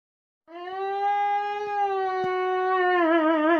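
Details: A young male Siberian Husky puppy, just after diving into his owner, "sings" a long, steady, tuneful howl that wavers slightly at the end.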